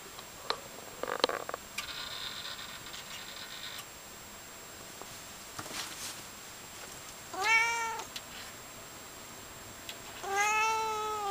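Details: Tired Siamese cat indoors, awake after sleeping on a heater, giving two loud arched meows in the second half, preceded by soft clicks, rustling and a brief scratchy noise.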